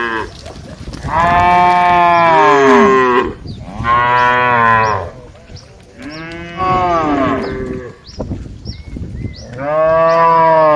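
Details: ['Dozens of tame cattle, a herd walking happily toward the barn, give four long, loud, rich harmonic moos. Each lasts one to two seconds and comes every two to three seconds, with faint chirps in the background.']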